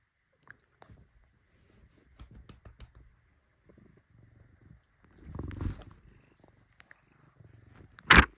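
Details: Bengal cat purring while kneading, heard indoors as a soft low rumbling purr with quiet pulsing, a brief rustling burst midway and a short sharp knock near the end.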